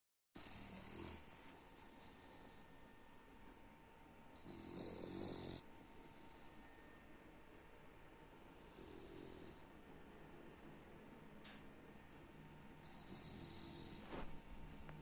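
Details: French Bulldog named Baks snoring indoors: low, rough breathy snores in irregular bursts, with a couple of louder broadband snorts around five and nine seconds and faint steady background hum.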